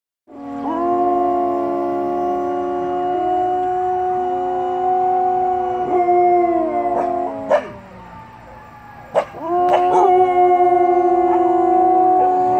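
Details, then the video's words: Several Samoyed dogs howl together in long sustained tones at slightly different pitches, like a barbershop quartet. The tones slide and waver, then briefly fade and break near the middle before the chorus swells again, with another dog joining in. "Singing Samoyeds. A true Barbershop Quartet."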